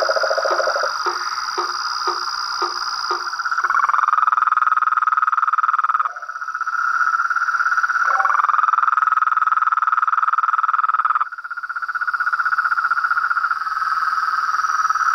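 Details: Toads, frogs and treefrogs calling in nature: a short run of low croaks repeating about four times a second, then a steady, unbroken high trilling drone that dips briefly and resumes.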